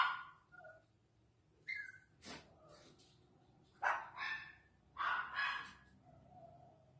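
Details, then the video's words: Chihuahua barking in a short run of sharp, high, yappy barks, clustered around the second, fourth and fifth seconds, with brief quiet gaps between bursts. "Chihuahua Barking"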